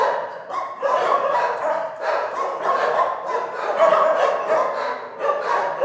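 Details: Several dogs in an animal shelter barking at once, a loud overlapping clamour of sharp barks and yips with some higher whining notes.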